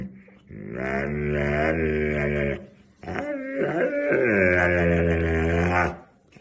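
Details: Husky making funny sounds indoors: two long, talking-like howls of about two and three seconds, the second wavering up and down in pitch.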